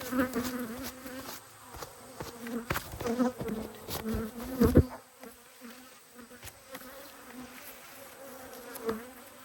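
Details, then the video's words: Honey bees from two hives, angry at being inspected, recorded in Australia on 5 March 2022; a dense, steady buzz of many bees with frequent clicks and knocks from the hive work. "When Bees Go Wild - Inspecting Two Angry Hives"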